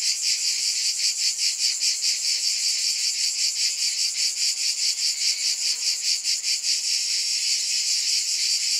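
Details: Shrill cicada buzzing fills the whole stretch and pulses rhythmically. A brief faint lower tonal sound appears near the middle.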